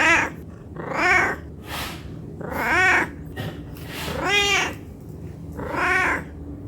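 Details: Domestic cat begging for food out of hunger, giving six drawn-out meows at uneven intervals, each arching up in pitch and sliding back down, against faint background noise.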